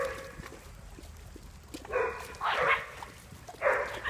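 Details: A dog gives a few harsh, noisy barks, the middle one longest, spaced about a second apart, with faint background noise.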